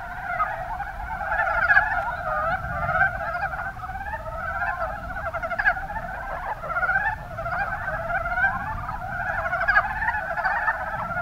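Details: Kuma Basin, Kumamoto, Japan: a steady chorus of Mountain brown frogs, soft rapid clucking notes tumbling over one another in short bursts, many individuals overlapping, with faint low background rumble.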